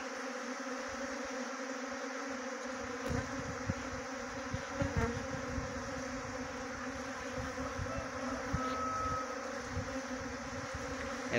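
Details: Honey bee swarm being trapped with a bee box at Khokti Marlau, Chakrata, Jaunsar Bawar, Dehradun, Uttarakhand: a steady, droning hum with layered tones, joined by scattered low thumps and rumbles.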